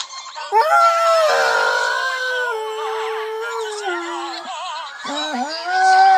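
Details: Pet Dalmatian howling along to a television advert, a sustained wavering howl that slides down, wobbles with vibrato, breaks off, then resumes higher, layered over the advert's music.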